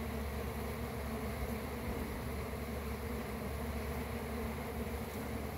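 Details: Swarming honey bees make a dense, continuous buzzing drone at an even loudness from start to finish, with no breaks or other clear sounds.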